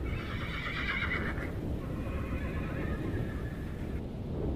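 A Przewalski's horse gives a long, quavering whinny that starts high and shaky, then drops lower and fades over about four seconds, over a steady low rumble.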